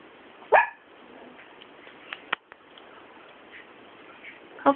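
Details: Papillon puppy named Hoppy, 42 days old, exploring a room indoors; a few short sharp yips or barks, one near the start and one at the end, with faint clicks and room noise between.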